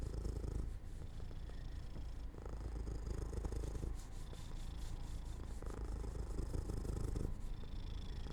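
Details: Pet cat drifting to sleep in sunlight beside an open window, giving a continuous quiet purr that rises and falls in even breath cycles, with faint background hiss.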